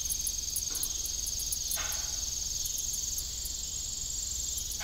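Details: Crickets calling in the evening at an old farm with a rusty windmill: a steady, very high continuous trill with faint pulsing above it, broken by occasional short broadband knocks.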